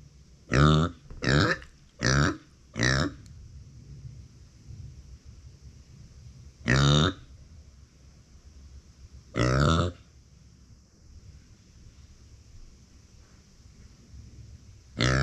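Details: Uni, a female micro pig born in September 2020 and kept as a family pet, cries when no one is beside her: four short, harsh grunting calls in quick succession, then two more spaced a few seconds apart, in a quiet room.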